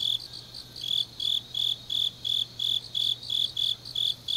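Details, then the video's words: Grass insects singing on a deep autumn night in Changnyeong, Gyeongnam: loud, high, slightly buzzy pulses about three per second, rising and falling a little in strength, over a low background hum. "깊은밤 가을 풀벌레 소리"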